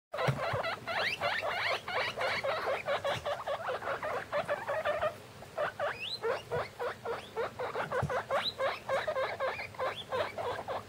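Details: Guinea pig pups, fifteen days old, a litter of six (three males, three females) huddled together in a plastic bin; rapid rising squeaky chirps in dense overlapping bursts, a brief pause near five seconds, then renewed quick squeaks.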